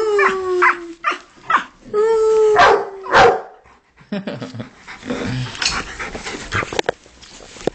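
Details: Pet Rottweilers with music playing, one howling and one barking: two short falling howls with barks over the first three seconds, then muffled clatter, low voices and scattered small noises.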